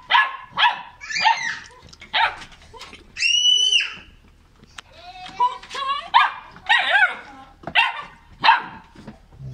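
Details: Cane Corso puppy aged 45 days in Gabon, high-pitched yips and barks mixed with whines and squeals, possibly several pups, with a human voice heard partway through.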